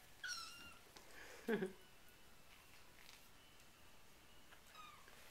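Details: Four-week-old RagaMuffin kittens of the Winter Wonderland litter, playing with a sheet indoors, give high, thin meows: a short one near the start, a louder burst after, and a falling mew at the end, with soft human talk and rustling.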